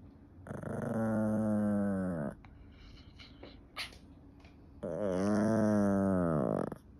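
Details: Annoyed Yorkshire Terrier growling: two long, steady, low rumbling growls of about two seconds each, rich in overtones, separated by a pause with small rustling sounds.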